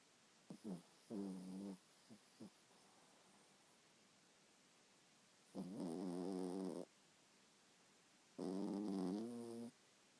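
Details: Loud snoring from a seven-month-old chihuahua cross while asleep: a few short snorts, then long, rough, vibrating breaths about a second long, recurring every few seconds over a quiet room background.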